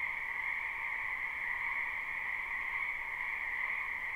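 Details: A dense frog chorus from a spring wetland behind a house, recorded live: constant overlapping croaks blend into a buzzing, shrill two-tone drone that stays level from start to finish.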